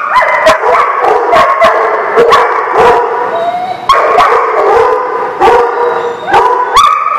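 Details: Several dogs barking at a dog lot on 10/5/19: loud overlapping barks and yips in rapid succession, dense and continuous, with sharp bursts every fraction of a second.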